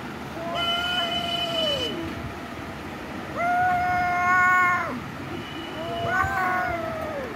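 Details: Domestic cat giving three long, steady, harmonic meows, the last one shorter and wavering, spaced about two to three seconds apart over a low background rumble.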